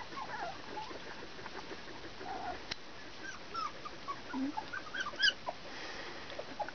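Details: Nineteen-day-old Border Collie puppies, Bajo Aragón, squeaking and whining in short, high, bent notes that cluster more densely near the end, with faint rustling and a single sharp click midway.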